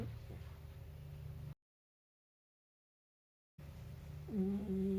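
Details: Shiba Inu puppy about four months old napping inside a carrier and snoring; after a stretch of low background hum and a silent break, a short drawn-out tonal whine-like snore with faint overtones comes near the end.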